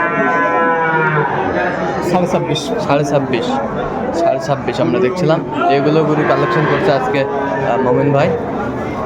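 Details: Young Sahiwal bull calves at a cattle market in Bangladesh on 11 November 2024, being bought by a Dhaka farmer. A loud, drawn-out harmonic bawl opens the recording, then crowd chatter and dense talking continue throughout.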